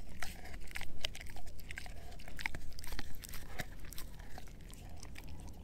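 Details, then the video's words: Edu, a male German Shepherd mix, gnawing a dehydrated pig ear chew: irregular sharp crunches and wet snaps, bunched in quick bursts with brief pauses, over a low steady rumble. "Edu Eating a Dehydrated Pig Ear Dog Chew ASMR"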